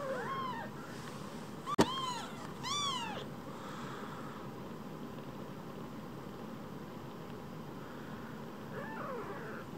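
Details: Two tiny rescued kittens, about the size of a mobile phone, utter a few short high arched meows early, a loud click between them, then near silence with faint mews at the end.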